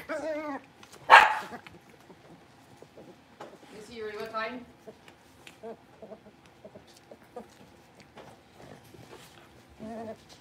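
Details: A litter of five Blenheim Cavalier King Charles Spaniel puppies, born at New Year's, in their pen; brief harmonic yelps at the start, middle and end, with a loud knock and soft human voices between them.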